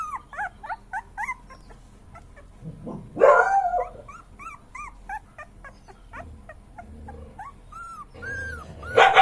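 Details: Puppy crying with short, high whimpers and yips in quick bursts, broken by a louder rough yelp near the middle, then a few drawn-out falling whines and a final sharp yelp.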